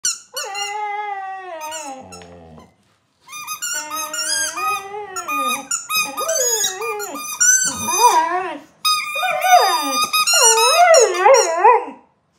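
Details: Labrador Retriever indoors in a small room, vocalising along with a squeaky ball: drawn-out, wavering, rising and falling howl-like whines mixed with high rubbery squeaks in repeated bursts.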